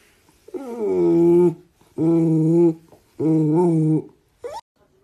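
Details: Talkative house cat in a small indoor room drawing out three long, steady, tonal meows of about a second each with short pauses between, then a brief rising chirp at the end.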